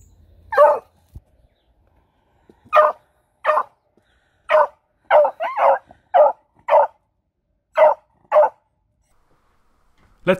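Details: A female house beagle barks as a guard, a series of about a dozen sharp, rough barks at irregular intervals, some in quick pairs, with brief gaps of quiet.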